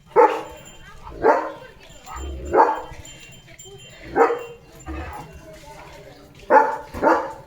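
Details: German Shepherd dog barking during a morning routine on a farm, with a countryside walk and play; loud single barks come at irregular gaps of about one to two seconds, with a few quick pairs, and faint background sounds.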